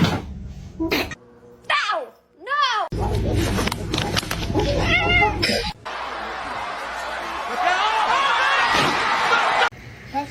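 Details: Pet cat in a funny home compilation giving two short arching meows that rise then fall, followed by loud human talk, laughter and broad household noise over the rest of the recording.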